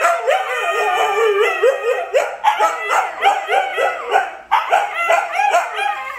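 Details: Dense chorus of Siberian Huskies, including Luna, Gizmo, Arya and puppies, howling at once: many wavering, yodelling voices stacked on each other with rhythmic dips, a brief gap, then the chorus resumes.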